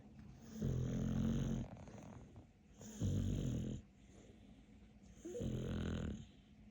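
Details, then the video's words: Capler, a pet dog dubbed the king of snoring, gives three deep, rasping snores about a second long each, spaced roughly every two and a half seconds with quiet breathing between. "Каплер король храпа .Capler is the king of snoring."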